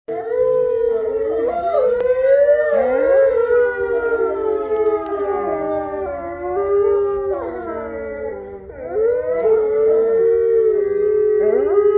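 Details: Captive-born gray wolves of the main enclosure pack at Wolf Hollow howling together: several overlapping long, wavering tones that slide up and down, some voices breaking and dipping, a brief dip in volume near the end before the chorus swells again.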